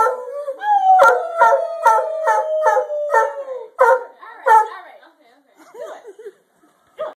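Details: Sustained, steady howl from Dreyfus, a pet dog urged on to howl, fading after about four seconds. Quick pulsed vocal bursts accompany it, and short wavering human voice sounds follow near the end.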